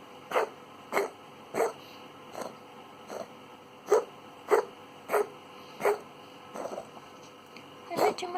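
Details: Cat with chronic rhinitis and a blocked nose, sneezing with its tongue out: short sharp snorting sneezes repeated about every half second to second, a dozen in all.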